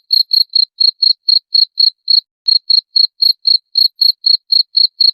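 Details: Cricket calling cleanly with no background: rapid high-pitched chirps repeated about four times a second in an even series, with one brief pause near the middle.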